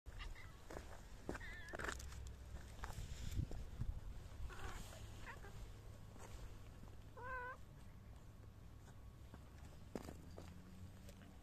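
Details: Hungry stray cats found at night being fed homemade food; a short wavering meow near two seconds and a clearer falling, harmonic-rich meow around seven seconds, over steady low hum and rustling.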